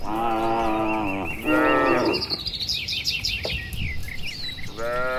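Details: Healthy, tame cattle, dozens strong, walking home to the shed in the warm late afternoon on a tree-lined village road; two sustained moos, a pause filled with bird chirps and twitters, then another moo begins.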